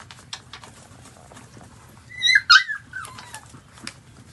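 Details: One sharp, high squeal-like whimper bursts out midway from a newborn puppy feeding on its mother's milk, with faint clicks and suckling noises before and after.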